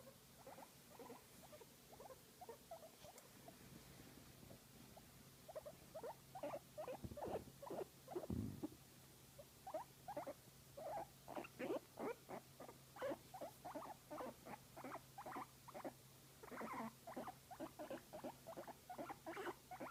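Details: Guinea pig enjoying a massage, producing quiet squeaks that build into a long run of quick, rhythmic chirping notes, a couple of low thuds near the middle and a steady hum behind.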